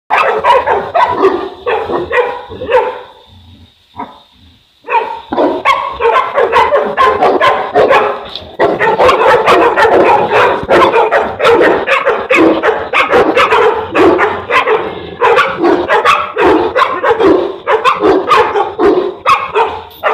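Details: Boerboel, also called African or South African Mastiff, one of a male and female pair living in Egypt, barking in dense, irregular runs of deep barks about 85 per minute, with a brief pause near four seconds.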